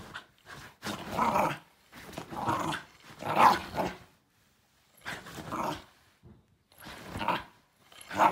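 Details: A Shiba Inu gives harsh, drawn-out grumbling growls in repeated bursts at a backscratcher, voicing displeasure.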